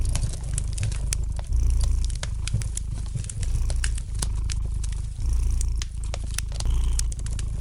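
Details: Domestic cat purring by a crackling fire indoors; rich, low, vibrating purr rising and easing in regular breath phases roughly every second, with crisp fire pops and crackles above.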